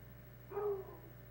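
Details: Year-old hound Tracker, kept with redbone hounds in the woods, gives one short deep bark after catching the scent of something passing through; steady low hum behind.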